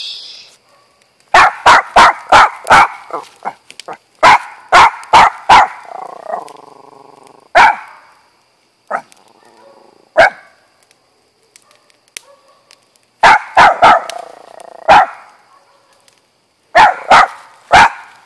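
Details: Auggie, a pet dog said to bark too much, gives bursts of sharp, loud barks in quick runs of three to six, with pauses between groups and a few lone barks, alongside a brief lower whine partway through.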